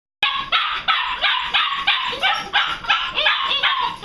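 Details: Six-week-old puppies being taken outside for a walk yap in a rapid, harsh series, roughly three high, noisy barks a second, continuing without pause for about four seconds.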